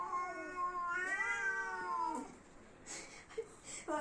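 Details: Domestic cats fighting, a drawn-out wavering yowl that drops away, followed by brief scuffling noises and a person speaking.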